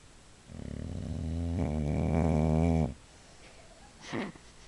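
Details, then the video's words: A female Boxer, sleeping, gives a loud, long snore of about two and a half seconds, a low harmonic rumble that grows stronger, then a brief soft snort afterward, indoors. "boxer snoring"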